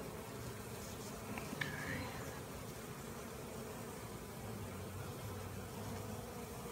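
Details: Honey bee swarm, caught and marching into a hive, gives a continuous low droning hum of many wings, unchanging in loudness, with a few faint higher squeaks near the start.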